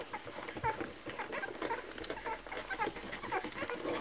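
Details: Kromfohrländer puppies at a milk feeding, indoors: high, thin whimpers and squeaks, often with a slight falling bend, come several times a second and overlap one another over soft rustling and suckling noises.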